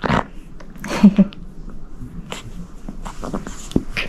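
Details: Pug puppy Mugi, a baby pug at home during training to curb its biting habit, gives short broadband snorting and grunting bursts, loudest around the one-second mark, scattered through the clip, with soft background music and a person talking.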